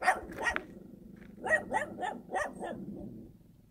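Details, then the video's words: A dog in the countryside gives two sharp barks, falls briefly quiet, then fires off a rapid string of five or six even barks that trail away. "개 짖는 소리"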